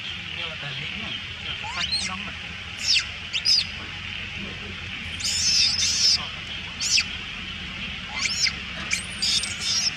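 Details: Young female monkey crying loudly to scare off other monkeys stealing her food: repeated piercing, high-pitched screams in short bursts, some drawn out, over constant background hiss.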